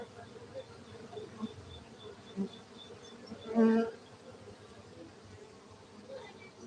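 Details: Honey bees kept for honey in Gayo, Aceh, Indonesia, humming in a continuous low drone, with a short louder burst of buzzing near the middle and light scattered tapping sounds.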